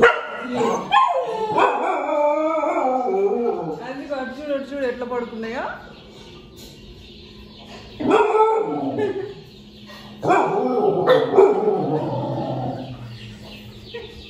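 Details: Puppies watching themselves on a TV let out long, wavering, howl-like whines. After a pause come two separate bursts of excited barking and yelping, with people talking faintly behind.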